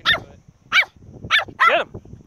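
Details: Chihuahua barking while hunting crabs: four sharp, high yapping barks spaced roughly half a second apart, the last one longer and doubled.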